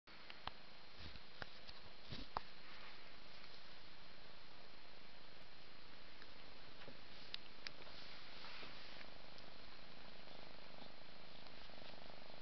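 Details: Steady low purring from a domestic cat as a mother cat licks and bathes her five-month-old kitten Ming indoors, with scattered soft licking clicks over the continuous rumble.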